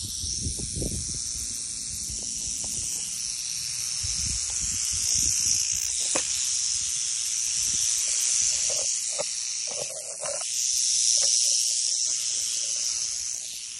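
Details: Young Western Diamondback Rattlesnake (Crotalus atrox) in Oklahoma warning to stay away: a steady, bright high-pitched hissing buzz runs throughout, swelling and easing in loudness, with a few low thumps and rustles beneath.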